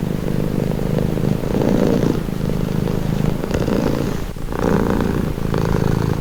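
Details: A calm cat purring without pause: a deep, fluttering rumble in regular breathing cycles, each swell lasting a second or two, with a faint rustle midway.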